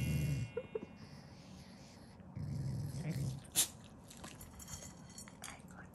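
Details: A pet Shiba Inu growls contentedly over its food, a loving rather than angry expression; a short low rumble at the start, then a longer growl mid-clip, with chewing noises and a person speaking indoors.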